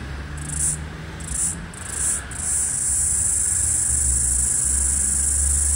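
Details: Floury baker cicada (Aleeta curvicosta), the last one heard in Australia's 2022/2023 summer, calling beside a busy street and trying to sync with another cicada. High hissing buzz comes in short bursts, then becomes a steady drone over low traffic rumble.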